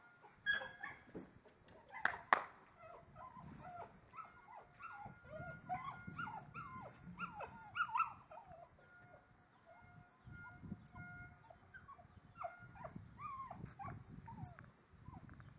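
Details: Lagotto Romagnolo dog at Osteria Grande, giving a long run of high, wavering whines and short yelps that rise and fall, with one sharp, louder yelp early on and quieter whimpers trailing off toward the end.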